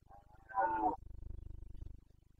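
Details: Carpathian red deer stag, Bucovina forests of Romania, during the September rut of 2022: a brief rough grunt rising into a short, strong harmonic bellow, then a low pulsing rumble.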